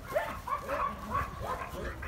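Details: Dog giving a string of short, high, rising-and-falling yips, about four or five in two seconds, over a low background rumble.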